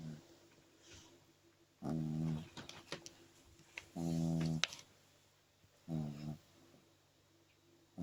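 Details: French Bulldog puppy, two months old, sleeping and snoring heavily indoors; three loud rasping snore bursts, each about half a second to a second long, separated by quiet breathing pauses.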